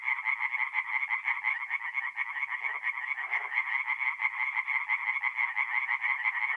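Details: Tree frogs singing at night at a forest pond in north-east Italy in mid-April: a dense, unbroken chorus of rapid rasping pulses, with many calls overlapping into a steady buzzing wall of sound and no other clear noises.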